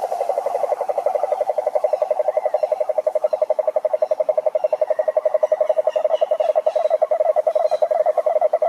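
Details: Many frogs calling together in a pond in a wild natural setting, described as a mating chorus; dense rapid pulsed croaks around mid pitch repeated nearly three times per second, steady and continuous, with faint higher calls above.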